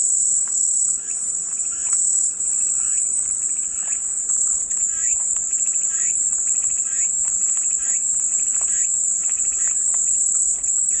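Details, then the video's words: Cicadas as soothing white noise: an intense, continuous high-pitched whine never wavers over eleven seconds, while quieter rhythmic chirps repeat in the background, roughly twice a second. "마음이 평온해지는 매미소리"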